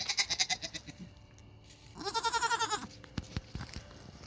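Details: Hungry Nigerian Dwarf goats crying; a quavering, pulsed bleat opens, then a louder, drawn-out wavering bleat follows after a short pause, with faint clicks and knocks afterwards.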